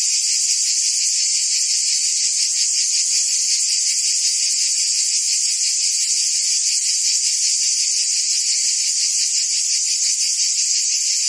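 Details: Cicadas buzzing in forest trees: a dense, unbroken high-pitched hiss that holds steady and loud throughout, with a faint fast pulsing inside the drone and no other clear sounds.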